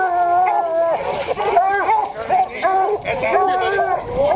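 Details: Plott hounds in a field trial race semi-final on May 30, 2009 give drawn-out, wavering bawls that overlap in a steady chorus.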